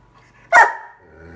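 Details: An 11-month-old Bernese Mountain Dog talking to its family: one sudden, loud, rough bark lasting about a quarter second, fading quickly into near quiet.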